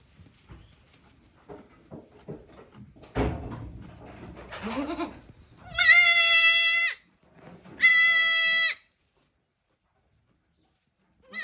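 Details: One-day-old goat kids on a handmade goat farm in Japan, recorded 17 April 2024: two loud, drawn-out nasal bleats of about a second each, rich in harmonics and steady in pitch, after soft rustling and bumps, with another bleat starting at the end.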